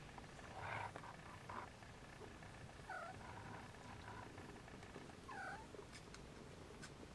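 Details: Siamese and Snowshoe kittens nursing indoors give short, thin mews, some rising then falling, at about 0.8, 1.6, 3 and 5.4 seconds over a steady low rumble of background noise.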